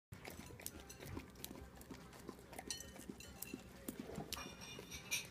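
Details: A female Vizsla, possibly in slow motion, licks and smacks noisily at peanut butter, a rapid run of wet, clicking mouth sounds.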